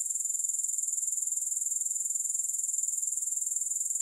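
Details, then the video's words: Grasshoppers producing a continuous bright, sizzling trill made of evenly spaced rapid pulses, steady in loudness throughout, with no music or background noise. "Grass Hopper Sounds"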